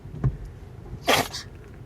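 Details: A small Pomeranian (spitz) gives a single sharp, hissing sneeze, a quick burst of air, during a bout of about ten sneezes on 26 September 2016.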